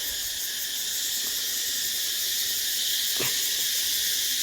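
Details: Many wild cicadas calling near Ba Ho waterfalls close to Nha Trang, Vietnam, in forest; a loud, continuous, shrill buzzing wash holds steady across the whole stretch, with a few brief low knocks.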